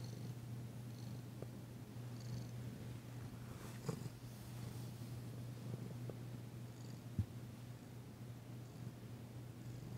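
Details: Danci, a female cat being massaged on February 9, 2022, purrs for the first time since she arrived. An even, deep rumble holds steady, broken by a couple of brief taps.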